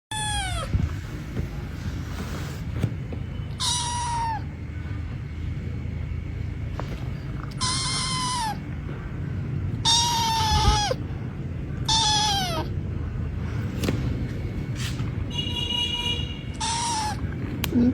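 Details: Kitten meowing repeatedly, about six clear, drawn-out falling meows spaced two to three seconds apart, each with bright overtones, over a steady low background hum.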